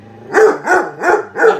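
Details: Pet dog barking at a microwave while soup heats inside, four evenly spaced sharp barks in under two seconds.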